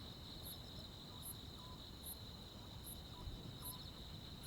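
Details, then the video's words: Crickets and other insects on a summer night in the countryside: a steady, shrill buzzing trill runs throughout, while high, brief chirps repeat roughly every 0.8 seconds over a low background rumble. "시골 야간 귀뚜라미, 벌레 소리"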